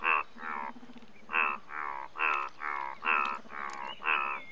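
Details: Indian bullfrog, India's largest frog; loud, nasal, bleating croaks in a steady series, roughly two per second, alternating stronger and softer notes over a low droning hum.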